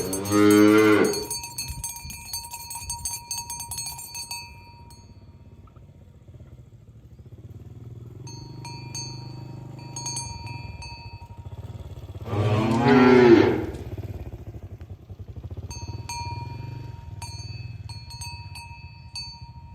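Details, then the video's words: Tame cows walking to their pen in the morning on a village road; two loud harmonic moos, one at the start and one near thirteen seconds, separated by steady ringing cowbells and low hoof rumble. "Asmr Sapi Moo | Suara Moo"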